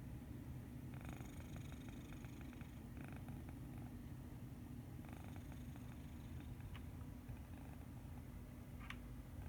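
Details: A sleeping cat named Medi Cat snores peacefully, giving a constant low droning rumble with soft airy breaths near one, three and five seconds and a tiny click near the end.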